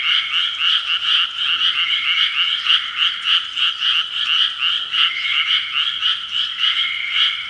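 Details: Evening frogs at 6 pm, a thick chorus of rapid, rattling croaks from numerous callers, overlapping into a steady throbbing texture with no other clear sounds.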